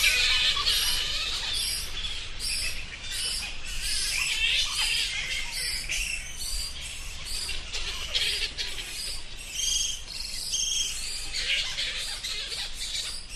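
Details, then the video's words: Rapid, overlapping high-pitched squeaks from bats, bursting in uneven clumps several times a second and forming a continuous twittering chatter over a faint low rumble. "Bats Sound Effects"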